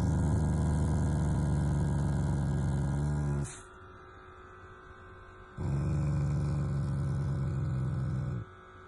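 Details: Taiga, a family Shiba Inu, growls affectionately at its owners, not in anger: a low, rough, pulsing rumble lasting about three seconds, a short pause, then a second sustained growl of similar length.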